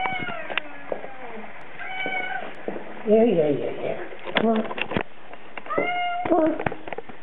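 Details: ['Male Bengal cat crying in a car on his weekend trip downtown, repeated drawn-out harmonic meows between rustling and engine noise.']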